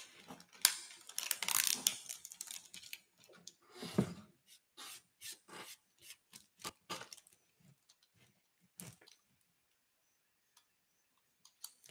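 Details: Close crackling, tearing and tapping sounds of handiwork fill a quiet room. No animal voice can be picked out.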